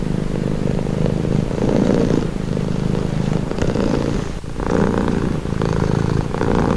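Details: Close purring from a pet cat: a dense low rumble rising and falling with inhale and exhale, a short dip near the middle, then resuming; meant as calming relaxation sound.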